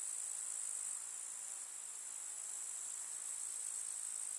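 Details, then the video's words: Grasshoppers in a summer meadow of wildflowers in the countryside: a dense, continuous high-pitched shimmering chirr that stays level throughout, with a slight dip in loudness near the first second and no other sounds. "КУЗНЕЧИКИ. Слушать звуки летнего луга"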